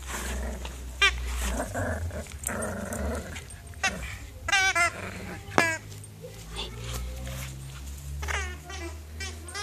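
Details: At play, Colin the Border Terrier puppy, nine weeks old, gives scattered short squeaky yips and whining cries, bunched mid-way and again near the end, over low rumble and a human voice.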